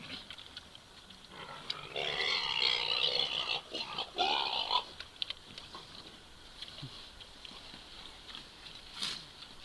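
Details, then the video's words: Pot-bellied pig trying to copulate, walking on two legs; harsh, breathy grunting and squealing in a dense three-second burst, followed by quieter scattered snuffles and a sharp click near the end. "pot belly try to copulate"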